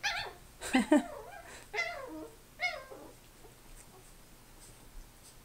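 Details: Grandpa, a Chi-poo puppy, going crazy inside: three or four shrill, wavering yips and whiny barks about a second apart, each sliding downward, then fading into quiet.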